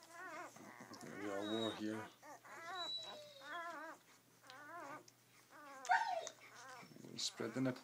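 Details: Five-day-old Rhodesian Ridgeback puppies from a first litter, jostling while nursing: high, arching squeals and whines come in quick bursts of rising-falling tones, with a person talking softly nearby indoors.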